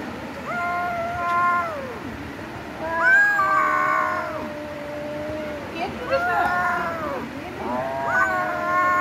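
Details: Domestic cats in a fight: sustained moaning yowls that swell and sag in pitch, a harsh burst near the middle, then shorter rising howls toward the end.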